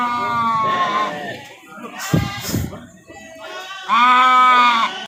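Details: Market goats, male animals offered for sale at the Pahonjaran goat market, Majenang, giving two strained, quavering bleats, one at the start and one near the end, separated by clattering handling noises and low background voices.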